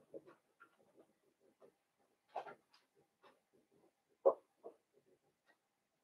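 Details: Newborn blenheim Cavalier King Charles Spaniel puppies, a litter of five born on New Year's, in an indoor puppy pen; scattered short squeaks and grunts with a few louder yelps, quiet gaps between.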